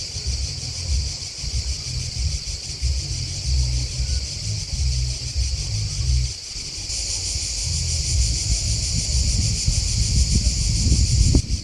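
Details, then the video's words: Continuous high, buzzy cricket chirping forms a pulsing wall of sound. Heavy low rumble fades briefly midway and then returns, and the insect trill grows a little brighter toward the end. "Crickets Chirping Sound"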